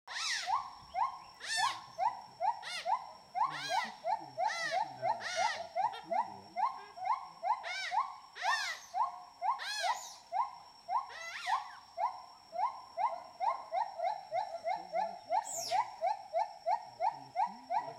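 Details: A playful group of smooth-coated otters eating fish for dinner in a Borneo river gives rapid, repeated squeaky chirps broken by sharp, rising squeals.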